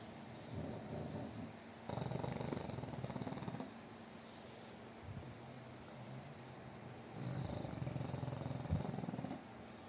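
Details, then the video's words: Loud, heavy snoring from a fat pug dog asleep: deep, buzzing, rattling snore bursts around 2 to 3.5 seconds and again near 7 to 9 seconds, with softer low breathing between them. "น้องหมาปั๊กอ้วนนอนกรนเสียงดังหนักมาก 😴 Snoring"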